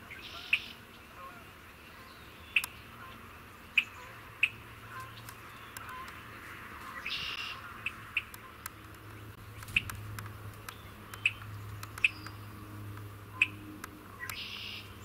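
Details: Spring peepers, tiny frogs calling in spring: short, sharp, high single peeps sounding at irregular intervals of one to two seconds against a quiet hiss, with a few brief rushing noise bursts in between.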